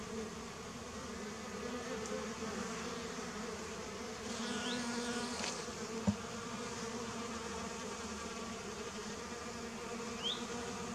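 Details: Bees gathered at a watering place, filmed in 2019; a dense, steady, low droning hum of many wings continues throughout, with a couple of faint high chirps in the background.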